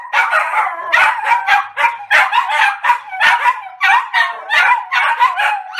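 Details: Maltese trio barking all out together: rapid, clustered high-pitched yaps overlapping in bursts, nearly continuous chorus with brief dips between volleys.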